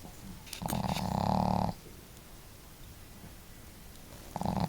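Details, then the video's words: At home, female dog Marimo snores boldly and companion dog Daigoro more softly; a sniffing intake leads into one long, droning snore, then quiet breathing before the next snore begins. "可愛いイビキ snore"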